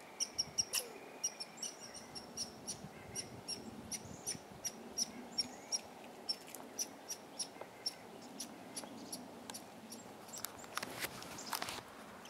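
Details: Red squirrels, four seen together at a large pine tree, the biggest in town, scattering when approached; a steady run of sharp clicking chips, about three each second, some topped with a thin high squeak, over a constant background hiss.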